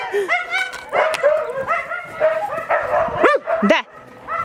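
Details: Yakutian Laika puppies whining and yipping, overlapping high tonal cries and short squeals, with quiet human speech in the background.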